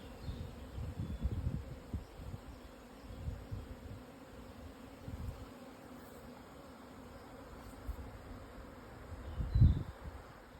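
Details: Japanese honey bee swarm relocating, recorded at 12:50 on 17 June 2024 at 1054 m elevation in Hokuto, Yamanashi, Japan; even low hum throughout, louder rumbling in the first two seconds and a sharp bump near the end.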